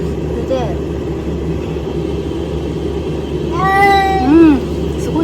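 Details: Domestic cat stuck in a house attic, unable to climb down, meowing loudly; one short call early, then two harmonic-rich rising-and-falling meows near the end over a steady low hum.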